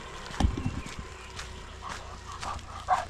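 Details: Labrador Retriever out on a morning forest walk gives one short, low, harsh bark near the start, followed by rustling, footsteps and faint bird chirps in the background.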